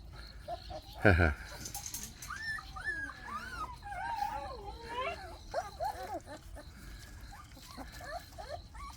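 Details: Active Jindo puppies of the dog Baekhyang, moving about: a litter whines over several seconds in many overlapping high, wavering, rising-and-falling cries, with a brief thump near the start and low background noise.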